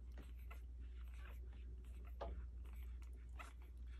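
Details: Twelve-day-old puppies with their mother Hilda, recorded indoors on 13 April 2021, give faint, brief whimpering squeaks that sweep up and down, with the clearest cry near the middle, over a steady low hum and soft rustling.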